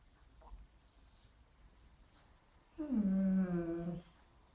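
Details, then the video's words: Frustrated Border Collie mix dog giving a single drawn-out moaning whine of about a second, low and steady in pitch and sagging slightly at the end, in a quiet indoor room. "Border Collie Mix Dog frustated"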